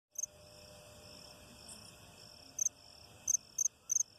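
High, steady insect trilling with short, sharp chirps bursting out at irregular intervals.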